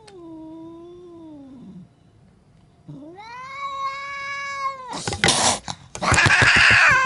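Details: Angry domestic cat caterwauling: a long wavering low wail falling away, then a louder rising howl held with bright overtones, ending in bursts of harsh spitting and hissing noise.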